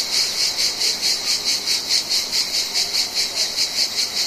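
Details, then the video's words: Summer chorus of Mediterranean cicadas, a shrill, high buzzing that throbs in even pulses about two to three times a second without pause, no other sounds standing out. "Cicadas Mediterranean Insects Audio"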